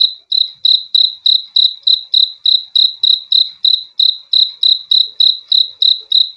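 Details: Cricket chirping steadily, offered as a calming sound for sleep: loud, pure high chirps repeated about three times a second in an even pulse, with no other sounds.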